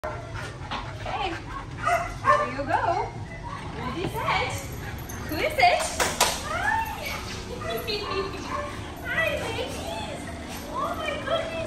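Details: Goose and Maverick, German Shepherd mix dogs, reunited with their owner, letting out high, wavering whimpers and whines that rise and fall in short arcs, overlapped by excited human talking and affectionate voices throughout.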